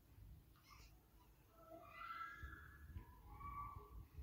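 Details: Pet cat uttering drawn-out, wavering meows that rise and fall, two or three calls running close together over a low background hum in a room.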